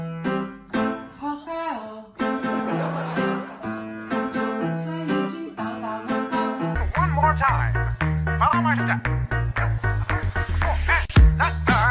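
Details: Upbeat plucked guitar music with steady bass notes and a bright, busy melody, a short sharp hit near the end; no animal voice heard.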